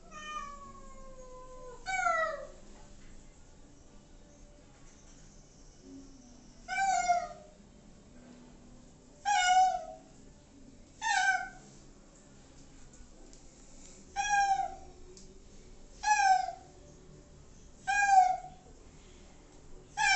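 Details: Domestic cats at bath time, waiting with shampoo on, give a long falling meow followed by about seven short downward-sliding meows at irregular gaps of one to three seconds, in a small room.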